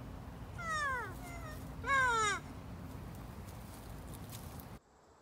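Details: Lemur giving two drawn-out, cat-like wailing calls that slide downward in pitch, about a second apart, over a steady low hum of background noise.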